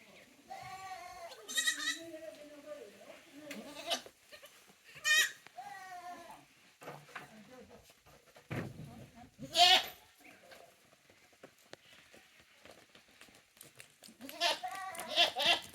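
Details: Young Tokara goats at a handmade goat farm in Japan, recorded 2 May 2024: loud wavering, quavering bleats in separate bursts every few seconds, some long and trembling, with quiet gaps and light background movement between.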